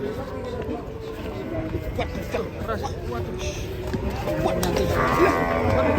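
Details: Sacrificial cattle being unloaded from a truck, low drawn-out mooing with harmonic tones, overlapped by men talking, background music and general commotion.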